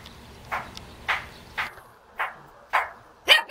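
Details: A Jindo puppy in Jeonju, North Jeolla, Korea, wags its tail and gives short, high yapping barks about every half second, calling to be played with.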